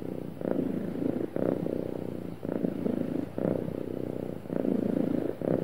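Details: Happy domestic cat purring smoothly and steadily, a low rumbling buzz swelling and easing in rounds of about one second as it breathes in and out, with no other sounds.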